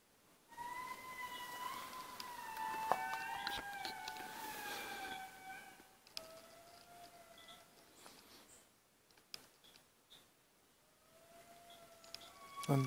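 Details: Indri lemurs in Analamazaotra National Park, Madagascar, give long, siren-like wailing notes, several voices overlapping and gliding gently in pitch.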